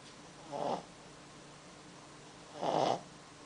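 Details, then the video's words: Pekingese asleep during a nap, two short, husky snoring breaths about two seconds apart against near silence. "My Pekingese that snores"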